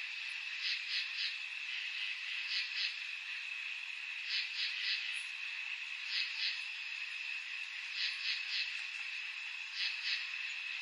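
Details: On a summer night, crickets give short bursts of two or three high chirps over a steady, shrill insect drone.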